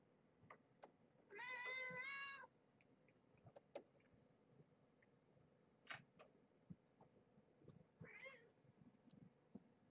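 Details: Kittens at evening play time, being held on their backs and rolled around in hands as they get used to handling: one loud, sustained, high harmonic mew lasting about a second, a shorter mew later, soft handling rustles and clicks.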